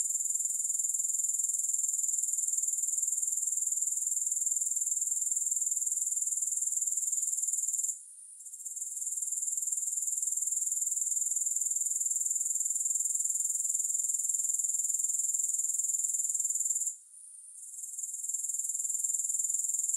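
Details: Grasshoppers in a three-hour sleep and relaxation recording without music: a steady, very high-pitched shrill chirring, finely pulsed about four times a second, with two brief dips near eight and seventeen seconds before the buzz resumes.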